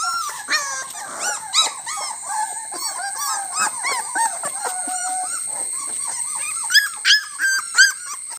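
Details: A litter of Labrador Retriever puppies giving thin, wavering whines and short squeaks, many overlapping, with a few louder yelps near the end over a constant high-pitched hiss.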